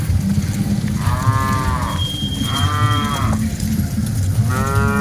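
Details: Cattle in a herd of dozens being driven along, giving three drawn-out, rising-then-falling moos, about a second each, over a steady low rumble of background noise.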